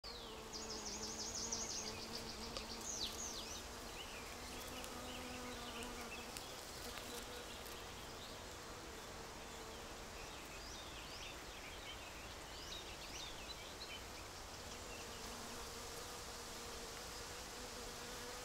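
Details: A cockchafer's low, droning wing buzz hums steadily, fading and returning, while pollinating wild dog rose, with faint bird chirps above.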